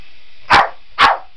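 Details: A Boston Terrier chasing a remote-control helicopter gives two short, sharp barks about half a second apart, each a brief bright burst, over a faint steady hiss.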